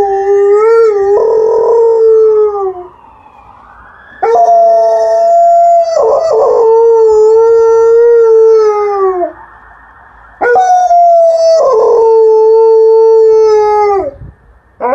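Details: Female Alaskan Malamute relaxing in a yard, howling in response to a passing ambulance siren: long, steady, slightly falling harmonic howls of a few seconds each, three bouts separated by short gaps, with the siren's wail audible.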